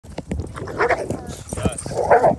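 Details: A pet dog barks in two short, harsh bursts about a second apart, each rising to a rough, mid-pitched yelp, with voices and handling noise underneath.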